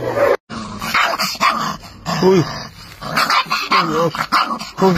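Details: Angry, aggressive Rottweiler puppy barking while attacking: short, high-pitched, strained yaps and growly yelps come in quick bursts, loudest near the middle and end, over scuffling and background noise.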